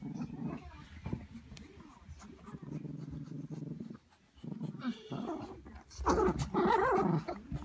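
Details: Terriers in a house playing tug of war over a toy, noisy because they won't share: low continuous rumbling growls through most of the clip, rising into louder, higher yapping barks near the end, with faint human voices indoors.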